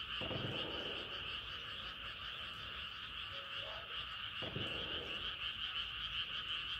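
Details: Frogs at night beneath a rising moon, many calling together in a thick, rapidly pulsing trill chorus, interrupted by two low bumps and a short lower croak.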